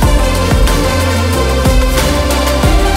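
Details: Loud electronic dance music with a heavy pounding bass beat plays throughout, with no animal sound.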